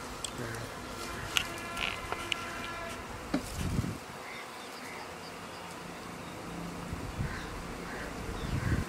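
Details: Honey bees of a newly formed colony after swarming, once settled atop mango trees and then caught into a hive box: a steady droning hum throughout, with scattered sharp taps and clicks and faint human voices.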